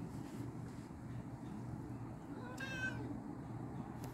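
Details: A domestic cat calling out to another cat: a single short, clear meow with a rich, slightly falling tone near the middle, heard over a steady low hum in the background.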